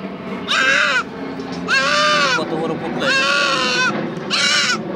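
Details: Goat being castrated, giving four loud, strained bleats, each lasting over half a second with a wavering, quavering tone, spaced about a second apart, with faint background noise between calls.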